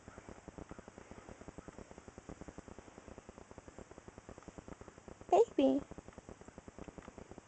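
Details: Pet cat giving a single loud two-part meow, its harmonic voice falling then rising briefly, set against a steady soft rhythmic ticking or purring background indoors.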